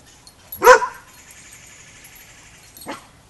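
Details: Young Border Collie pup Rammstein or a packmate at a boot camp, during a first lesson with the pack; one loud, sharp bark followed by a fainter second bark about two seconds later.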